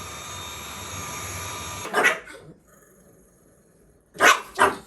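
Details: Pekingese dog, a younger male picking a fight with his older brother at home, gives two short sharp barks after a quiet stretch, with a single earlier bark following steady background hum.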